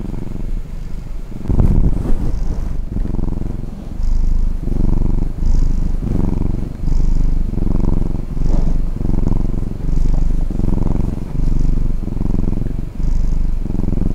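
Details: House cat disturbed while sleeping and purring loudly, a rough low rumble swelling with each breath about every 1.2 seconds, clearly rhythmic, preceded by a brief rustle near the start.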